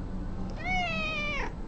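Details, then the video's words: Domestic cat meowing along as its owner sings happy birthday at home: a single sustained meow lasting nearly a second, held fairly level before dropping at the end, over a faint low hum. "Cat singing happy birthday"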